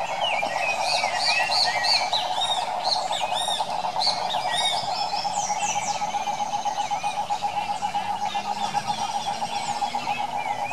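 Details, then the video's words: A chorus of wild cane toads from the Pantanal, Brazil: a rapid, buzzing trill drones without pause at one mid pitch, while higher bird chirps and whistles break out repeatedly over the steady wall of calling. "SAPOS CANTORES"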